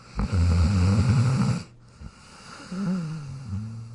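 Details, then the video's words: Jack, a pet dog, sleeping in his dog bed: a loud, low rumbling snore for about a second and a half, then a quieter, softer snoring breath after a short pause. "Jack Sleeping & Snoring in his Dog Bed"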